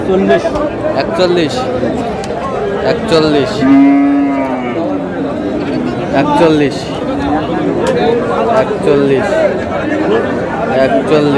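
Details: Cows at Aftabganj cattle market, Dinajpur, Bangladesh, on 20 June; one drawn-out, steady moo rises briefly above a constant hubbub of men talking and crowd chatter.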